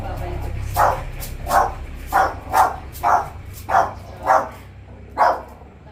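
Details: Two puppies tagged as Pomeranians bark over a steady low hum. Eight evenly spaced barks come roughly every 0.6 seconds, each short and mid-pitched.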